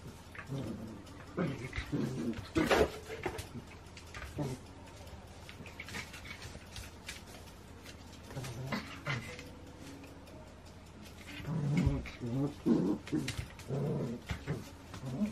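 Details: Two Shetland Sheepdogs playing together indoors, recorded 28 January 2016: scattered low, rough growling bursts and short harmonic vocal sounds around the middle and final third, mixed with thumps and scuffling noises of play.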